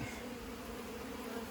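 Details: Many honey bees around a partly removed 15-year-old hive inside a house's siding. A smooth, unbroken low-pitched drone with a rich, layered hum.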